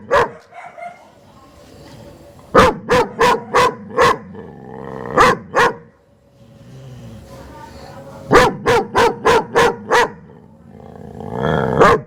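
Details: German Shepherd barking in quick runs of five or six sharp, loud barks, separated by quieter gaps with a faint low hum.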